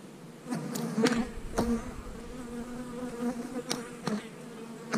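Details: Buzzing honey bees during hive splitting in March 2020, with queen cells in the new splits; a continuous low drone that swells and fades, punctuated by several crisp taps and clicks from handling the hive.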